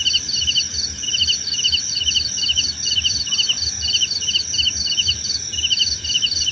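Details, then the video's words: Cricket song for meditation and sleep: crisp pulsed chirps in a regular rhythm, roughly two to three a second, with a brief gap midway. A persistent thin high whine and soft low background noise accompany them. "Suara Jangkrik Membahana!"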